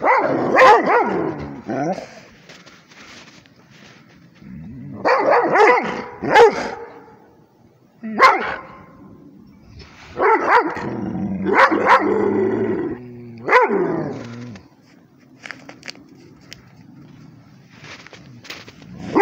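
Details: Barking at a tablet, a Rhodesian Ridgeback lets out scattered clusters of barks with whining, howl-like drawn notes between them, separated by quieter stretches of low background murmur.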